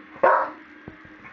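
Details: A Staffordshire Bull Terrier gives a funny little growl while stretching: one short, throaty, grumbling growl, followed by near silence.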